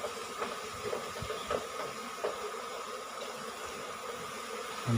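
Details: Asian honey bee colony nesting under the roof of a small rice-field hut in Thailand, disturbed as it is taken from its cavity nest yielding five combs; a steady droning hum with faint knocks and handling noise.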